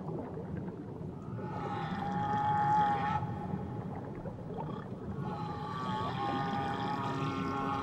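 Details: Whale song recorded off Tahiti: long, steady tonal moans rich in overtones, held for nearly two seconds, a short pause, then another drawn-out wavering moan phrase over a constant low underwater rumble.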